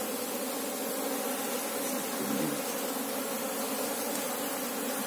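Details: Asian honey bees (Apis cerana) in an active hive searched for its queen; a thick, constant humming of many bees, layered low bands, loudness steady with a slight swell midway.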